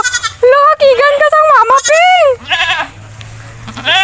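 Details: A goat teased and played with by a child gives a long, wavering, nasal bleat lasting about two seconds, then shorter bleats, with excited talking close by.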